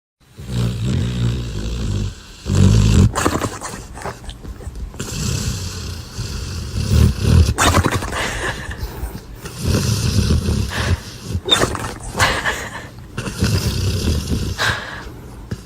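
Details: A sleeping dog snoring, deep rumbling breaths rising and falling in long low drawn-out rasps with short pauses between them, loud and close throughout.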